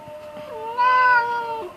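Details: Orange pet cat replying with a single long, whiny meow after being told to sleep, starting low, swelling louder in the middle and dropping at the end.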